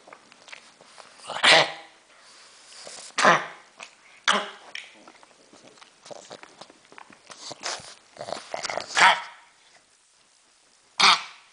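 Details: A female pug coughs in harsh, wheezy bursts spaced a second or two apart; the owner says she is choking, not barking.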